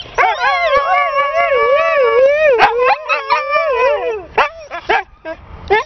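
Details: Siberian Husky at home delivering a smooth, undulating howl for about four seconds, followed by several short yips and whines trailing off.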